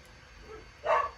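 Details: Dog, in a home with several dogs, gives a single short, sharp bark near the end of a quiet stretch.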